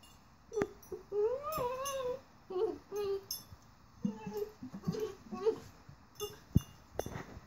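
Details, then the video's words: Eight-month-old rat terrier Domino talks during play with a flower vase, giving warbling rising and falling whines and grumbles in quick bursts, broken by sharp knocks and clatter from the vase. "Domino the Rat Terrier Playing with Vase - (and Talking - Turn Up the Sound!)"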